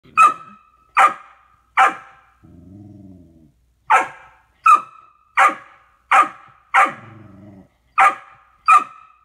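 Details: A 15-week-old male Golden Retriever puppy barking at himself in a mirror gives sharp, high yaps in quick bursts, broken by low rumbling growls.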